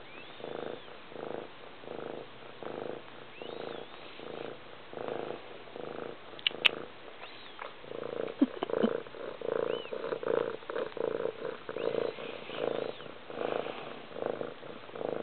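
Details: Loud purring from a cat, a low buzzy rumble swelling and fading in regular breath cycles, with a few faint clicks and a brief higher tonal sound partway through.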